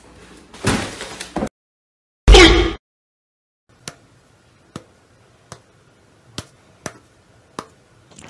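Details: Loud bursts of rustling and a door slam, then a series of sharp taps in a quiet room, with no animal voice.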